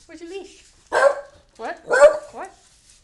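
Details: Scooter, a pet dog impatient to go to the library and urging its owner to hurry, lets out loud barks mixed with whining yelps, about one per second, interleaved with a person talking indoors.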